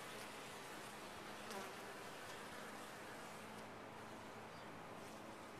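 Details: Colony of honey bees humming inside a top-bar hive; dense, constant buzzing with a low tonal drone underneath and a brief louder swell partway through.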